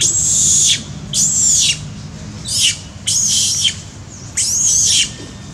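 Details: Shrill crying from monkey Sean, hurt by Jane's hard hits and bites in a park: five piercing high screams, each under a second, separated by short gaps, several dropping in pitch at the end.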